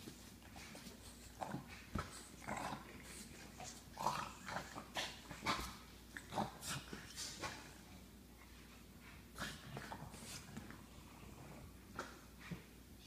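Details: French bulldog indoors guarding his new blanket and refusing to share it with the other dogs in the house: low rumbling growls and snorty huffs in uneven bursts, with thumps and rustling throughout.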